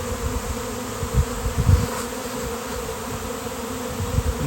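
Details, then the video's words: Thousands of swarming honeybees gather on a downed basketball hoop on a fine-weather day. A steady, low, droning hum with faint tonal bands, and bumps and rumbles close to the microphone. "Giant Bee Swarm came out of nowhere!"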